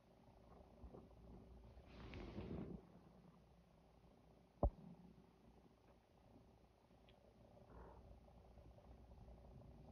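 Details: Luna, a feral female cat in heat, pestering neutered male Chico by draping herself over him; soft, low continuous purring, a brief rustling burst around two seconds in and a single sharp click midway.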